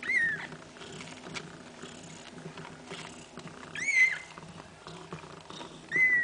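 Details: Feeding time for mother cat Kaewe and her seven kittens: three thin, piercing mews, each falling slightly in pitch, spaced about two to four seconds apart, with soft shuffling and suckling-like rustles between them.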